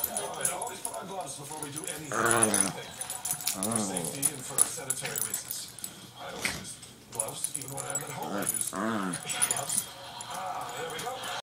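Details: Max, one of two Shih Tzus, makes comical Chewbacca-style sounds and barks: wavering, rising-then-falling groans arrive around two, four and nine seconds, while human voices chatter throughout and keys jingle faintly.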